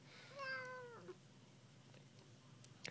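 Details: Talkative pet kitten meowing indoors during a back-and-forth with its owner: a single tonal meow that holds level, then bends downward and fades, followed by quiet room sounds and a few soft clicks.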